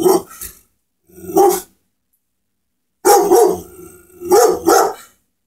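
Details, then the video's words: Pit Bull barking at something, giving deep, gruff single and doubled barks in uneven bursts separated by short silences. "Pitt bull barking at something"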